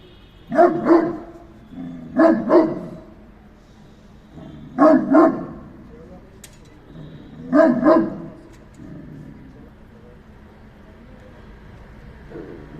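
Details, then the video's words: Dog barking in four sharp double woofs about two to three seconds apart, then quiet with low background hum. "What is the sound of dog?"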